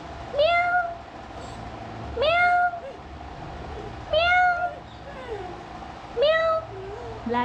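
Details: A one-year-old black dachshund answers its owner's cat-like "meow" with short, meow-like cries, each rising then levelling off, about every two seconds.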